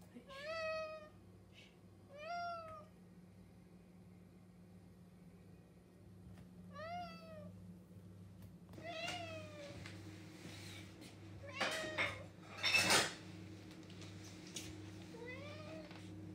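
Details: [1, 'yes', 'meow', 'Domestic cat, male, indoors meowing at a cabinet because it is breakfast time; harmonic meows, each about half a second, at irregular gaps, with clattering and handling noises later and a steady low hum behind.']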